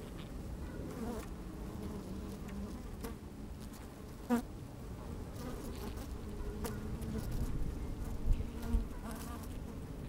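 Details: Honey bees at work in an open hive on a fine, sunny day, microphone slid down inside: a low, steady hive hum with crackly movement, and one loud buzz sweeping past near the middle, plus brief louder buzzes late on.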